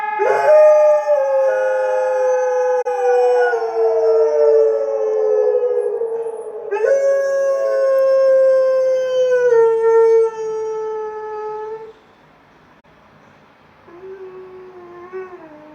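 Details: Dog howling in response to sirens: long drawn-out tonal howls that start high and slowly slide downward, two sustained howls of several seconds each, then a quieter short wavering howl near the end.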